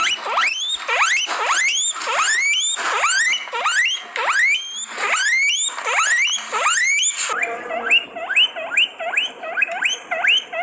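A guinea pig squeaks in loud, rising whistles repeated about twice a second.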